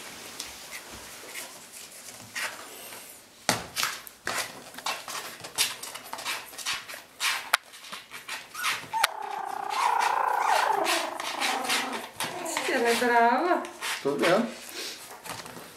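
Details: Five playful one-month-old Yorkshire Terrier puppies play-fighting and chewing a slipper strap, toes and cables, giving small, squeaky play growls and whines amid clicking, chewing noises.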